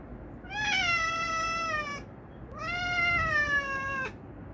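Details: Pet cat yelling at its owner: two long, loud meows, each about one and a half seconds, starting high and sliding gently downward, rich in harmonics, separated by a short pause in a quiet room.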